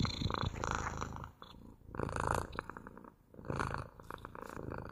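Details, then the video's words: A house cat purrs close up, a buzzy low vibration swelling in three or four breath-long waves and easing into quieter gaps between them. "МУРЧАНИЕ | ПОЛЧАСА МУРЛЫКАЕТ КОШКА!"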